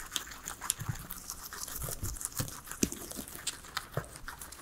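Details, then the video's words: Guinea pigs, three pets, chewing salad vegetables: quick bursts of crunchy biting and grinding mastication with distinct snaps about every half second, quiet room, no voices or music. "asmr guinea pigs eating veggies"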